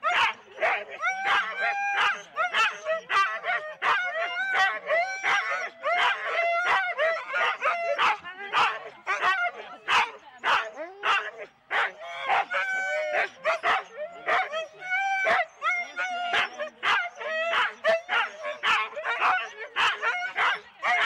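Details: Husky sled dogs in 4-dog teams at the start of a race at Rendlesham in January 2016, recorded on analogue cassette tape: rapid, excited yelping barks repeated in a dense chorus almost twice a second, with overlapping higher yips throughout.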